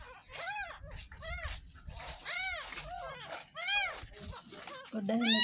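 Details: Young kampung kitten, ten days old and rescued from a roadside drain, cries repeatedly while being bathed for the first time: about eight shrill, bowed meows, evenly spaced and rising and falling in pitch, over soft background noise.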